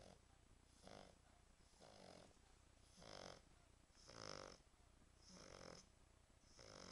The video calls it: Französische Bulldogge Tyson schnarcht French Bulldog snoring